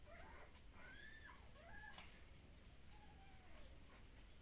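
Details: Newborn puppies from Kumi, at a Shiba Inu and Samoyed breeder in the Netherlands, during an early neurological stimulation session. They give faint, high whimpering squeals, a rising then falling whine near the first second, and a lower drawn-out whimper, over steady low hum.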